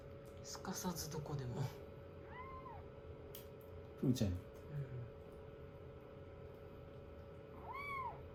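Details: Rescued kittens, on day sixteen of their growth record, nestle affectionately on a lap after a shampoo and blow-dry; two short, arching high meows sound quietly, one midway and one at the end, between murmured human voices and a steady hum.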